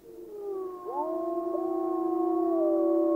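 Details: A pack of gray wolves in Yellowstone National Park howls together: long, steady, low-to-mid tones, with one voice sliding sharply upward as others hold pitches beneath it.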